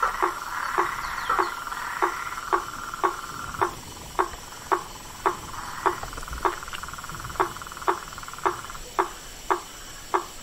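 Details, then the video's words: Frogs and toads calling in the wild: a steady chorus of trilling calls, with sharp clicking notes repeated about twice per second over the background. "Os sons dos sapos , rãs e perereca na Natureza"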